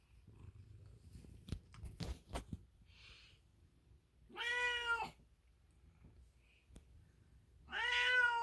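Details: Milo, an American Ringtail cat, first gives a few faint rustles and clicks, then two clear, drawn-out meows about three seconds apart, each rising and bending in pitch with rich overtones, the second slightly longer.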